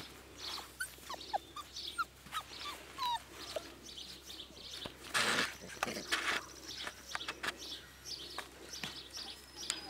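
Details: Four-week-old Siberian Husky puppies, a litter, giving many short high whimpers and squeaks scattered through the recording, some rising, overlapping one another, with a louder broadband burst near the middle.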